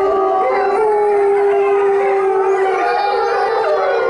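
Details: Chinese wolf howling in captivity at Tennoji Zoo on 23 February 2013: one sustained, pure, mournful tone that rises slightly, holds, then dips near the end, with faint higher voices overlapping.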